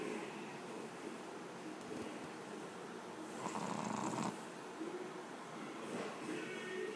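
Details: Mico, a sleeping Pekingese pet, snoring with soft rasping breaths, one fuller, louder breath near the middle of the clip, over a steady hiss of room noise.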